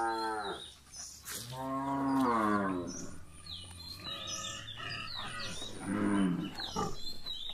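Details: Gir cows on a milking farm give repeated moos, one short, then a longer wavering bellow, then a third after a pause, over a background of clatter and faint chirps.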